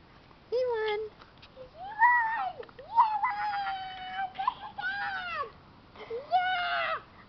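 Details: Several Keeshond puppies cry in long arching whines, each rising then sliding down, some overlapping in a chorus of plaintive squeals over roughly seven seconds.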